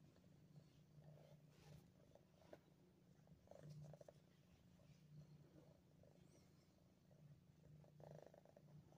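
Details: Nine-month-old female pet cat purring indoors in Ottawa, Canada, on December 28, 2022: a steady, low rumbling drone throughout with soft rhythmic pulses and a few faint rustles.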